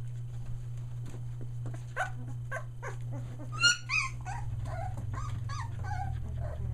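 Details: Three-week-old Australian Shepherd puppies near Mooresville, North Carolina, just finding their voices: scattered soft whines and short squeals, one sharp high yelp standing out midway, over a constant low electrical hum.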